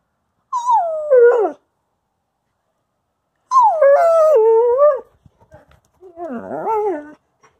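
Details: Female Wolamute howling as she perfects her vocals before chasing away a German Shepherd Husky; three wavering, descending howls with breaks and yodel-like pitch jumps, the last one rougher and shakier, separated by short silences with faint clicks.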